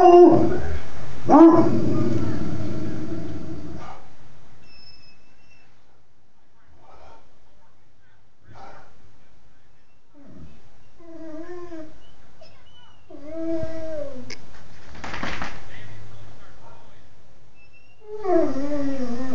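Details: A Black and Tan Coonhound gives loud, drawn-out, wavering howls that slide down in pitch.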